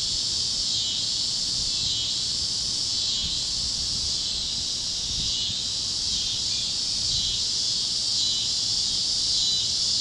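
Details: Sunset over Kansas fields with cicadas and other critters singing; a dense high-pitched buzzing chorus pulses in quick, uneven waves, steady and loud throughout.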